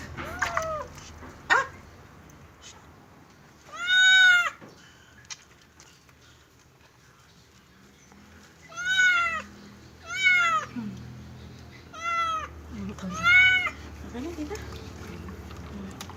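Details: Cat during its first bath giving a series of loud, drawn-out meows that rise and then fall, one short cry first, then five more spaced one to three seconds apart, with faint background noise between.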